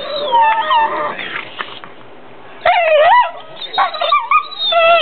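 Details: Two pit bull brothers playing on a bed, making vocal noises instead of barking when too tired to play outside; high whining, yodelling howls with sliding pitch in bursts, the second half louder and more wavering.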